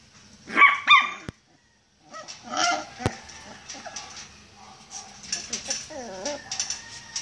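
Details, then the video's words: Caged Miniature Pinscher whining to be let out: two loud high whines near the start, a short pause, then softer wavering whimpers and small yelps with some rattling and clicking in the background. "Miniature pinscher wants to come out of the cage"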